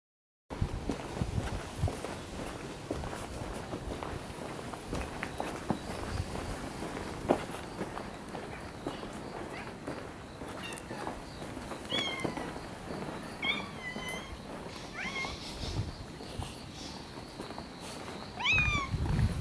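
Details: Cats checked on after a typhoon on the first weekend of October 2014; several short rising-falling meows from the second half onward, spread over footsteps, rustling and outdoor background noise.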